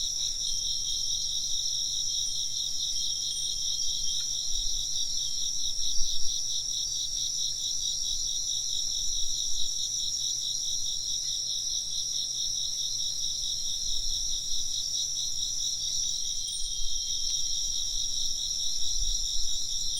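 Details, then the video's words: Dense high insect chorus, rapid pulsed chirping running unbroken, with occasional thin ringing tones of wind chimes and a few soft low bumps. "風鈴の音と虫の声 - wind chimes and chirping insects"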